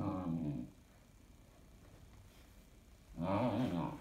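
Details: A 16-week-old female Standard Poodle puppy, overtired and restless past her bedtime, grumbles and complains in two rough, wavering bursts of low grumbles rising into whiny moans, with a quiet two-second pause indoors, before storming out of the room.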